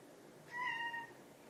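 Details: Domestic cat at home, a ginger or silver tabby, meowing because it is hungry; one clear, drawn-out tonal meow about half a second long, level then gently falling, against quiet room background.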